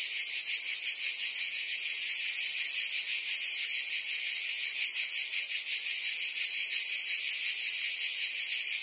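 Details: Provence cicadas singing in summer, France: a loud, continuous sizzling drone, slightly pulsating, holding the same intensity from start to finish.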